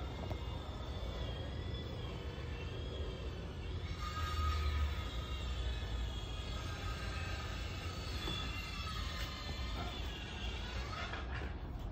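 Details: Continuous low rumbling vehicle or train noise with a faint whining tone dominates throughout, and no animal voice stands out.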